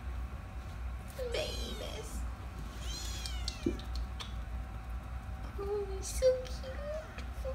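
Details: Rescue kittens about 15 days old, eyes just opened, among them one named Scoopy, in foster care indoors: two high, harmonic-rich mews falling in pitch within the first 3.5 seconds, then softer short tonal squeaks near the end over a low steady hum.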